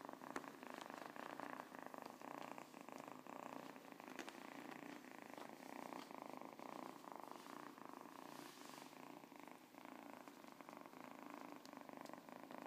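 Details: Siamese cat giving a long, even purr, a dense buzzing rumble rising and falling with its breathing throughout, with faint rustling touches in the background.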